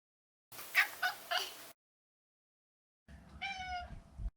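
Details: Neutered male Maine Coon cat: a burst of three short, rough, chirpy calls, a pause, then one smooth harmonic meow that holds steady and trails off softly.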